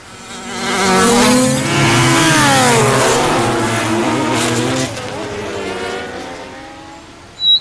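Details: Horse-fly in flight: a continuous low droning hum with rich harmonics, its pitch gliding up and down as the insect moves, loudest early on and gradually fading, ending with a brief sharp knock.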